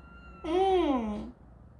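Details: A 13-day-old kitten, one of four in a yard-raised litter with newly opened eyes, cries while the littermates scramble and fight for their mother's teats: a single drawn-out, harmonic meow lasting under a second, rising then sliding down, over quiet background.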